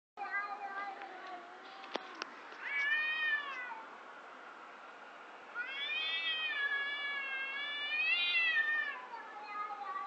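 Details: Two cats outside in front of a house making bizarre noises: drawn-out, wavering, harmonic wails, a short rising-falling cry near three seconds, then a long howl of over three seconds that swells and dips, with a few faint clicks early on.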